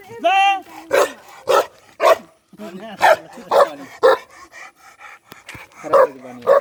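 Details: Livestock guardian dog of a nomadic shepherd in mountainous Nepal gives a high whine, then irregular loud barks spaced about half a second to a second apart, mixed with lower moaning sounds.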